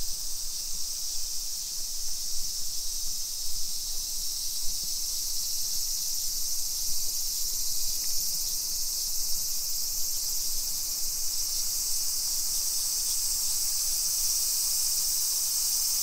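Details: Japanese summer cicadas heard on a countryside-style walk in Nisshin near Nagoya, 28 July 2021, 2 PM: a dense, bright, unbroken buzzing hiss filling the air for sixteen seconds, with light rustling and low background noise.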